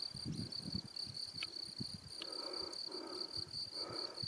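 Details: ['Crickets chirping outdoors near Salzburg, Austria, in April 2018, heard during a solo recovery bike ride. A steady high-pitched continuous trill with a faint higher overtone, over low irregular thumps and rustling.']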